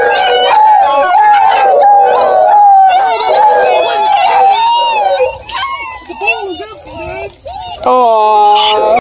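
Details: A litter of 10 Bluetick Beagle cross puppies howls together in overlapping, wavering, high-pitched voices near Kingston, Ontario, Canada.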